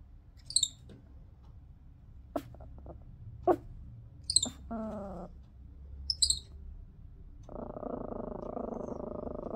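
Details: A pet baby Midas tamarin weighing just over 1 lb gives sharp, very high doubled chirps, repeated every couple of seconds as a warning.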